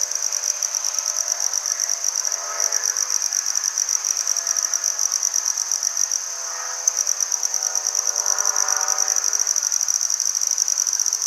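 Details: Red-headed bush cricket (handsome trig) in Maynard, Massachusetts, 14 September 2019, giving a continuous shrill, finely pulsed trill at constant high pitch, with faint hum-like tones beneath and a brief pause near the seventh second.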